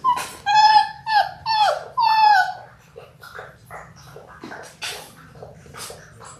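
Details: Six-week-old Labrador Retriever puppies from a litter of six born January 18, 2022, on an indoor puppy cam: four drawn-out, downward-sliding whines in quick succession, then softer, shorter yelps and faint rustling.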